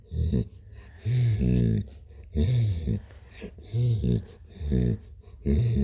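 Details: Cat called Blue purring indoors. A deep, throaty rumble comes in pulses lasting about half a second to a second, with brief pauses between breaths.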